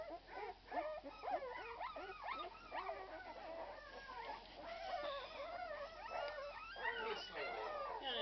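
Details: A litter of Irish Red and White Setter puppies, 12 days old, whines continuously: overlapping wavering squeals and short yips that grow steadier and louder toward the end, with faint human voices.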